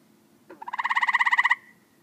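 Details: Tree frog giving a single pulsed call lasting about one second, a rapid train of roughly fifteen evenly spaced clicks with a nasal, rattling quality, preceded by a short soft note; faint low hum in the background.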